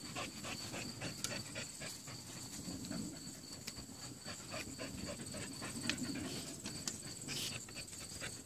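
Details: American Bully, a nine-month-old female, pants steadily while tugging a rope, with rapid airy breaths around four per second and scattered clicks and knocks from the play.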